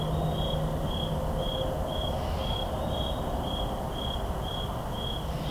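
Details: Crickets calling at night in a forest on October 10, 2023, picked up with two Shure SM7B microphones: steady, high, evenly spaced pulsing chirps, about four per second, over a low rumble of distant highway traffic.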